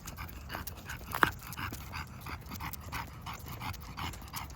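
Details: Walking English bulldog heard breathing hard, quick noisy snorting breaths in steady succession, with one sharp click-like sound about a second in and low background rumble throughout.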